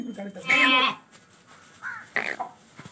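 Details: Lamb offered for sale giving one short, loud, quavering bleat, followed by faint voices and scattered background noises.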